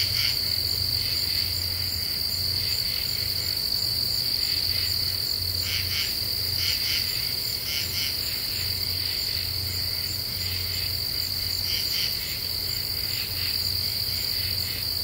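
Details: Night chorus of common true katydids in an Ozarks deciduous forest, recorded 28 July 2013: rasping double and triple pulses repeat at a steady rhythm above a continuous high-pitched insect whine, with a faint low hum.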